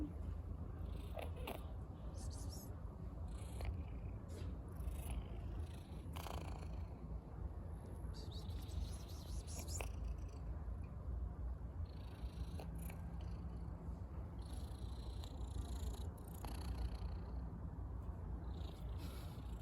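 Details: Stray female cat sick with the flu: continuous deep, rough purring throughout, with scattered clicks and rustles and brief soft sounds on top.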